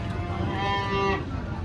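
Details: Large cattle being unloaded from a truck; a single drawn-out moo with strong harmonic bands, steady then ending abruptly, over a low rumbling background.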